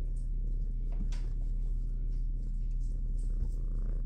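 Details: Shelter kitten in a big kitty room at an animal shelter, low steady purring rumble throughout, about two pulses per second, with faint rustling and a woman speaking softly nearby.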